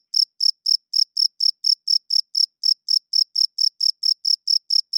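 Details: A cricket sings loudly at night by rubbing its wings, the male's call for females and territory; about twenty piercing, evenly spaced chirps sound in quick succession over a silent background.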